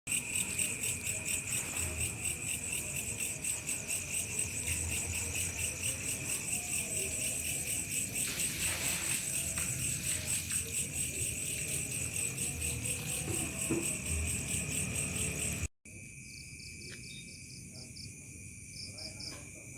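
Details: Crickets chirping in a village at dusk into night, Indonesia; dense steady high-pitched pulsing chorus with a second higher band, faint low background rumble, sound briefly cuts at about sixteen seconds then resumes quieter.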